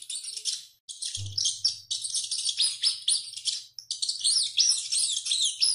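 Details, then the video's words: Running rat screaming heavily: bursts of piercing, high squeaks separated by short silences, with a low steady hum appearing under the calls after the first second. "SOM DE RATO CORRENDO E GRITANDO MUITO"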